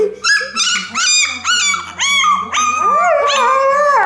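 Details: A 14-day-old male Alaskan Malamute puppy, in his first howl, gives high, wavering yelps that stretch into a thin howl in front of his mother.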